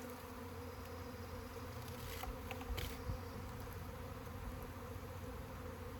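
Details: Swarming honey bees give a continuous low, rough buzzing drone, with a few soft knocks and rustles near the middle.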